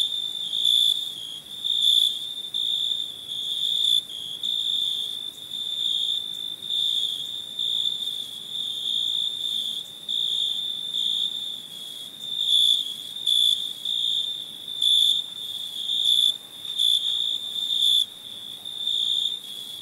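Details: Crickets chirping at night: a steady high-pitched trill held near one pitch with a fainter higher overtone, pulsing in loudness in bursts of roughly one to two seconds, with no other sounds.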